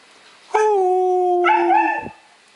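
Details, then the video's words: Young Siberian huskies howling: a sustained harmonic howl holding a steady pitch for about a second, then a second voice joins with a higher, slightly wavering howl before both stop together. "Young HUSKIES HOWLING"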